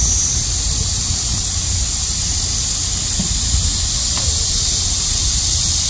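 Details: Midsummer cicada chorus during a heat wave, described as remarkably loud: an unbroken, high, sizzling hiss holding evenly throughout, with faint low background rumble.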